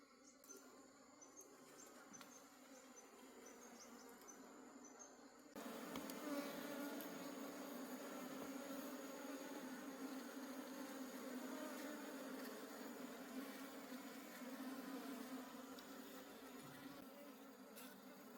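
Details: Wild honey bee colony in a forest during a honey harvest: a dense, steady low buzz that swells sharply after about five seconds and holds loud and even, with a thin high whine running throughout.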